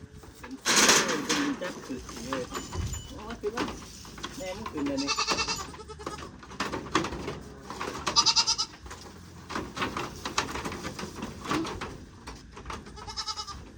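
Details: Goats newly bought, four more added to a herd: several wavering bleats rise over steady talking, the loudest near the start and others spaced every few seconds.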